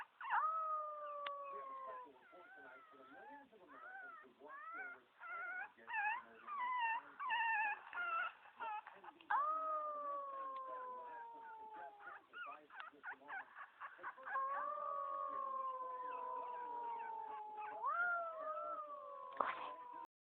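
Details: Dog noises around a Chihuahua, said to come from a black box speaker: long, sliding, whining howls alternate with bursts of short yelping whimpers, quiet throughout, with some people talking.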